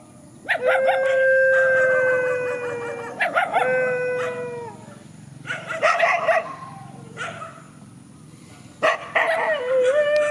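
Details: Countryside dogs squaring off in a field: a sustained steady howl, then more howls falling at their ends, mixed with choppy barking yelps. A quieter gap comes before another burst of yelping howls.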